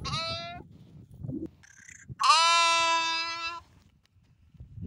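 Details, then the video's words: Sheep bleats: a brief nasal bleat, then after a pause a longer, loud, steady bleat lasting over a second, with faint low knocking in between. "Sheep Voice | Sheep Sound Effect | Lamb Sound | Lamb Voice"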